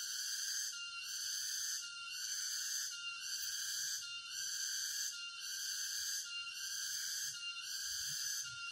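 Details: A chorus of cicadas in a forest by Jatiarjo, Prigen, Pasuruan, East Java, on 23 October 2020. The piercing, ringing buzz rises and dips steadily, about one pulse per second, over nearly nine seconds with little else heard.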